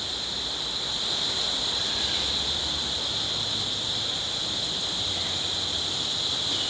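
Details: A dense cicada chorus, a steady high-pitched buzzing drone with no breaks, in rainforest around a jungle cottage on Negros island, Philippines, heard between storms and rain.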